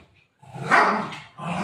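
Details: A pet golden retriever named Buzo lets out one loud, rough, bark-like call lasting under a second, followed by a softer, lower sound, with household voices around it.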